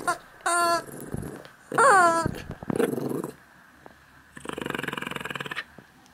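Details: Max, a Yorkshire terrier-schnauzer mix dog born June 13th, 2006, during morning play indoors: rough low growling bursts broken by a high, wavering whine, with short pauses between and faint background hum.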